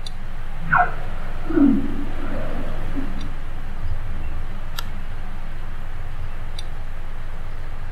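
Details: Two humpback whales in Southeast Alaska on April 19th, 2020; two short tonal units sliding downward over a deep, rumbling background, with the whales' forceful exhales and inhales audible.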